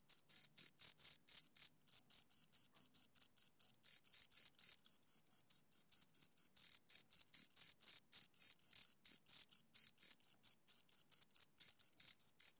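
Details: Two crickets chirping close up: a high, clean pulsed trill in short bursts, about four to five per second, with a fainter overtone above and no other sounds.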